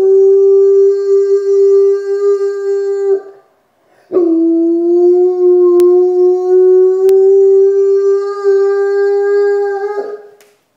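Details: Howls from a castrated Rottweiler coming round after the operation, two drawn-out even-pitched notes of about three and six seconds, a slight upward drift in the second, a brief pause between and faint clicks.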